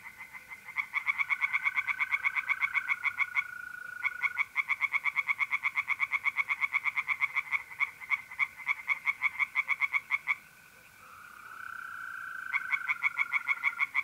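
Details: Night chorus of tree frogs in a pond, North-East Italy, mid-April: long runs of fast, regular croaks broken by brief gaps, with mole crickets trilling in a smooth continuous tone that rises out between the bursts.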